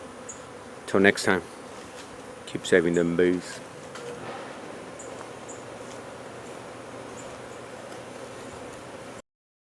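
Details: Honey bees at a hive being removed from under a wood pile in McAllen, Texas: a steady, low, droning hum runs through the whole recording, broken near the start by two short bursts of human voices.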